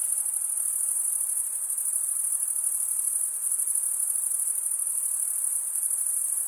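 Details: Crickets chirping at night in a summer forest: a dense, unbroken high-pitched trill that holds steady throughout, with a faint hiss beneath and no other callers.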